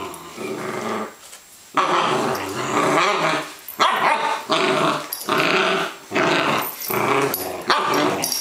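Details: Welsh Springer Spaniel female meeting another dog and playing indoors on a wet day; loud rasping play growls in bursts of about a second, broken by short pauses, with scuffling.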